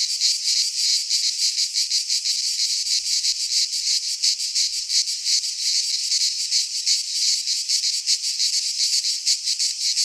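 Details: Midsummer chorus of cicadas in a pine forest in Greece, a loud continuous shrill buzz pulsing quickly and steadily throughout, with faint low rumbles beneath now and then.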